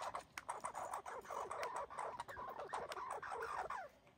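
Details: Fighting red squirrels, including an injured fighter, bark in quick harsh bursts, each pulse sliding slightly downward, packed into a steady scolding rattle.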